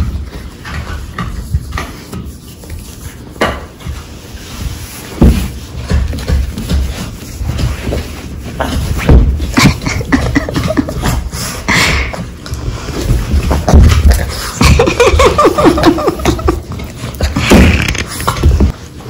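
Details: Two pet Boston Terriers play fighting indoors on a rug, a game of 'bitey face' with shoulder bumping and tumbling; rough, harmonic growls and snarls come in bursts, mixed with scuffling, thumps and scraping.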